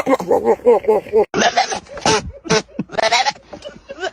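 A goat utters an odd, quavering bleat that wobbles in pitch and breaks into rapid, laugh-like pulses. Harsher breathy bursts follow, with what may be human voices mixed in.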